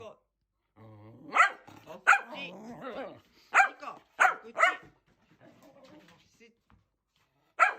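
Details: Nico, a young male Shetland Sheepdog puppy, barks in excitement after his owner sneezes: six sharp, bright barks come in quick pairs and singles, with a brief low human sound between the first ones and quiet gaps.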